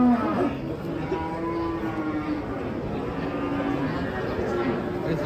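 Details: Masked cow, agitated and rampaging while coming down off a truck: low drawn-out moos with a steady tone, overlapped by people talking nearby.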